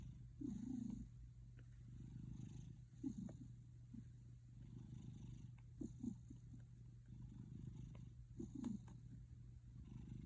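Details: Pet cat purring, a soft low rumbling throb that swells in brief bursts over a steady low hum, likened to a man's snoring.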